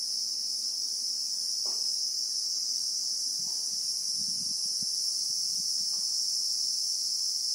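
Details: Steady shrill drone of a Christmas beetle (Anoplognathus) in South African bushveld, recorded in real time, continuous and high with no pauses, plus a few brief soft taps and low rustles.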